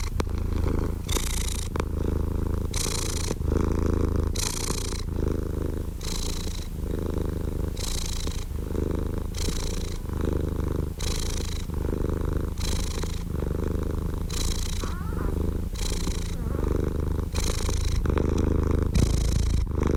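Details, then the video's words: Domestic cat purring steadily and deeply, a low rumbling drone broken by a breathy hiss roughly every second as the cat alternately breathes in and out, with a close, even level throughout and no other sounds. "Purring Cat"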